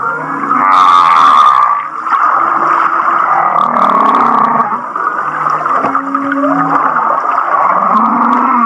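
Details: Laughing-style humpback whale song from Kihei, Maui, with a strong grating pulsed burst early on, followed by wavering mid-pitched moans, a rising swoop, and low drawn-out groans layered beneath a continuous chuckling texture.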